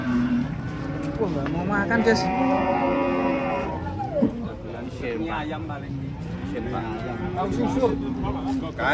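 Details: Cattle giving a long, full moo of almost three seconds that trails off, then quieter lowing later, over background music and a few voices.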